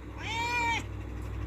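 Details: Domestic cat, angry and demanding that the door be opened: a single drawn-out meow, about half a second long, holding a steady tone that slides down slightly at the end, over a low background hum.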